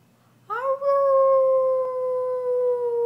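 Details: Chloe, a pet Brussels Griffon singing when asked: after a brief silence, one long clear howl swoops up, then holds a steady tone and sinks very slowly over about two and a half seconds.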